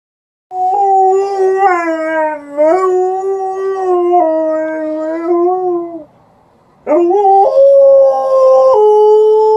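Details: Liza, an Alaskan Malamute, howls indoors in response to an outdoor siren: a long wavering howl with small upward lifts, a brief pause, then a second steadier howl stepping down in pitch.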